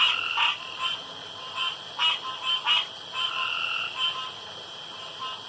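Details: Frogs around a pond in the dark calling together: overlapping short pulsed bursts and brief tonal notes come rapidly, several per second, above a steady high-pitched hum.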